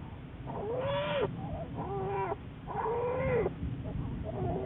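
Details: Black bear Juliet, recorded March 1, 2014 as part of Wildlife Research Institute research: three drawn-out harmonic calls, each about half a second, arched in pitch with a slight wavering, over continuous low rumbling noise.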